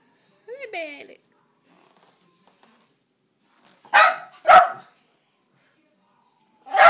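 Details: Dachshund named Bandit barking at a vacuum cleaner indoors: a brief human voice, then after a pause two sharp barks close together, and one more bark about two seconds later.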